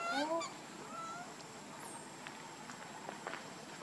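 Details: Baby monkey Lucie gives a brief harmonic, wavering wail at the start, then a softer short cry, before rustling and quiet outdoor ambience take over.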